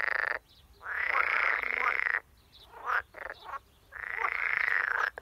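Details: An edible frog (Pelophylax esculentus) in the water gives long, harsh, rattling croaks of rapid pulses, each about one and a half seconds, with brief clicks between.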